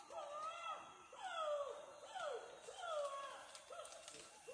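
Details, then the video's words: Chimpanzee screams in Budongo Forest, Uganda, heard at some distance: a series of sliding, arched wails, each falling in pitch, repeated roughly every second. "Screaming chimpanzees in Budongo Forest Uganda"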